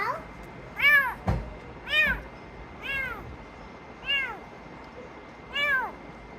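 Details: Rescued sick kitten found in garbage gives five clear, high, arching meows about once a second, with a brief thump near the start, indoors.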